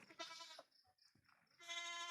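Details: Domestic goats checked at night in the Philippines: two long, wavering nasal bleats rich in harmonics, one at the start and one at the end, with a quieter gap of soft noises between.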